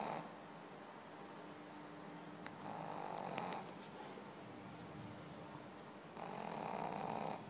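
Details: Pekingese snoring in its sleep, two long raspy, hissing breaths around a second each, separated by a quieter pause with a few small clicks and rustles.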